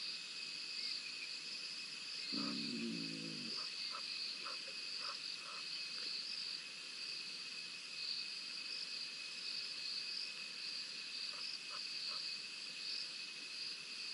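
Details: Spotted hyenas, a pair scrapping at Rosie's Pan on a live wildlife camera, 7 November 2021: one low, harmonic growl lasting about a second, then a few faint short yelps over a steady, shrill chorus of night insects.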